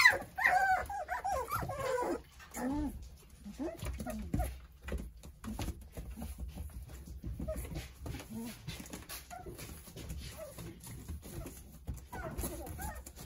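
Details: Nine Jindo puppies toddling and playing under the care of their mother, Sarang. High, wavering whines and squeaks cluster in the first three seconds, then give way to softer scattered whimpers, shuffling and thumping noises.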